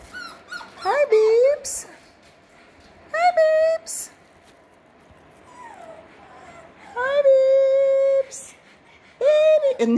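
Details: Six-week-old Parson Russell Terrier and Russell Terrier puppies at a kennel, indoors: several high, drawn-out whines that rise and then hold steady, in separate bursts, while a woman talks softly to them.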